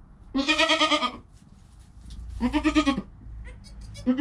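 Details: Newborn goat kid Joel, within his first hour of life with his calm mother Penny, recorded on a GoPro; two loud, wavering bleats about a second long with rich harmonics, split by a pause, a third just starting at the end.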